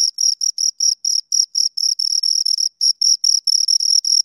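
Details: High shrill cricket chirps from two insects, short bursts of uneven length, some merging into longer trills, repeated rapidly with brief gaps and no other sounds.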